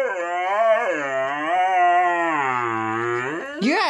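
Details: Pet Siberian Husky talking: a long, moaning, harmonic howl that swells and sags in pitch for over three seconds, ending with a brief rising yelp.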